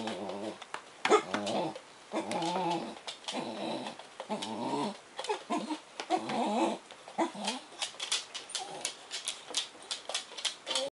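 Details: Indoors, Suki the black Bedlington Terrier makes funny noises while greeting Kyle, an English bull terrier shut in a crate. Repeated wavering, groaning whines come in a string of bursts, then fade into rapid clicking and scuffling.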